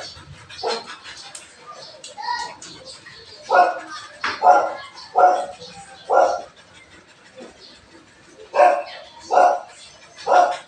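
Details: Belgian Malinois barking indoors in the morning, loud single barks repeated roughly once a second in bursts, with a man's voice talking in between.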